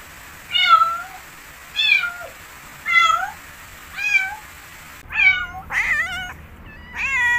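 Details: A cat meows steadily about once a second, short high calls, followed by louder, wavering, more urgent meows near the end in a quiet room.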